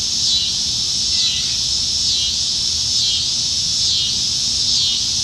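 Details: Cicadas in the trees on a July 2019 summer evening in Nebraska, plentiful in the dog days of summer, fill the air with a continuous high buzzing drone that swells and fades about once a second.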